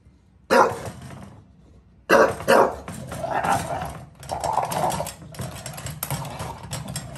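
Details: Bulldog in New York City barking at a gate, a sharp bark then a double bark, followed by rough, noisy grumbling and scraping sounds.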